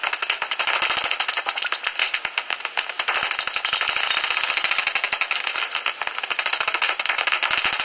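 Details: Common noctules (Nyctalus noctula) at a roost in a tree hollow near Ibbenbüren, Germany, on 17 August 2019, 15 minutes before sunrise, chatter in a dense, steady, rattling stream of rapid, high-pitched clicks and squeaks.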